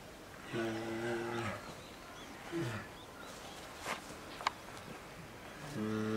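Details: Two-year-old female polar bear cub in a zoo cage enclosure at Maruyama Zoo, Sapporo, Hokkaido, Japan, 19 January 2017, begging her 22-year-old mother to nurse: two long, low, droning moans with a short grunt between, faint background noise and clicks.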